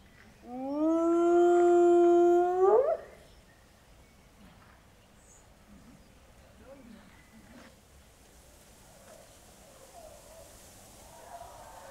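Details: A hyena at Zoo Leipzig, one of two kept there, utters a single sustained harmonic call of about two and a half seconds that swings upward at the end. Then near silence with faint background murmur.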